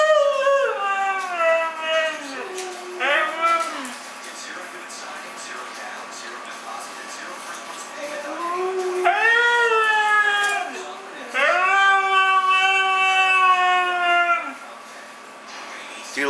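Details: Female Siberian husky 'talking' as her owner asks whether she loves her sister. She gives drawn-out, wavering, yodel-like vocal phrases that slide downward, in several bursts with short pauses. The owner's voice is heard between them.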